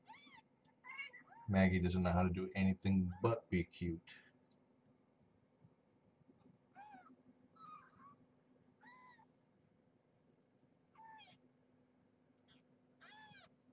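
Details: Indoor mews during feeding and weigh-in of Marge, a former pregnant stray cat, and her nursing kittens: a brief burst of human talk, then about six thin, high, arched mews spaced over several seconds in a quiet room.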